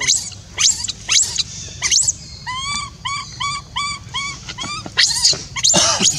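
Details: Orphan monkey Rainbow, crying until her voice goes to call Libby back after being left alone: harsh screams, then a quick series of arched whimpering coos, then more shrill screams.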